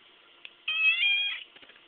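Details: A 4-month-old chocolate point Siamese cat talks back to its owner with a single drawn-out, tonal meow that rises slightly and then falls away.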